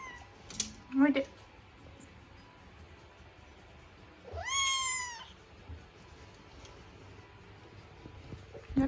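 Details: Scottish Fold kitten stranded on a curtain rail indoors, unable to get down. One drawn-out meow mid-clip, rising then sliding down, with rich harmonics. Brief scratchy and tapping noises come earlier in a quiet small room.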